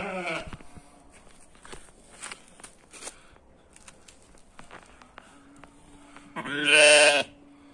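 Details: Ewe lamb born as a twin, bleating: one short harmonic bleat at the start, then a louder, longer, wavering bleat near the end, with soft clicks and rustling between.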